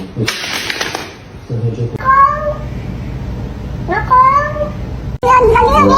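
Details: A kitten gives two drawn-out, tonal meows that rise and then fall, with human voices and laughter nearby; finding: cat.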